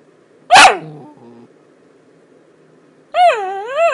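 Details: A miniature dachshund makes weird noises, a sharp bark trailing into short low grumbles, then after a pause a drawn-out, wavering howl-like whine that dips and rises.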